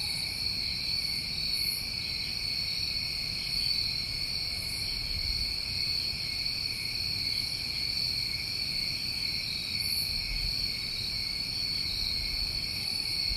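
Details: Crickets on a New England summer night: a steady, unbroken high trilling chorus in two stacked bands, with brief brighter chirps above repeating every few seconds and faint low background rumble.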